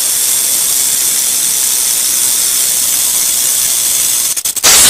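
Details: Continuous dry, high hiss-like rattle of a rattlesnake, even throughout, with a few quick stuttering breaks just before the end.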